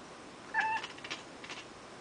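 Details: Male pet cat making his strange noise on spotting something, apparently staring at the ceiling: one short, clear, tonal chirp with a bright harmonic stack, lasting about a quarter second, followed by faint soft rustling in a quiet room.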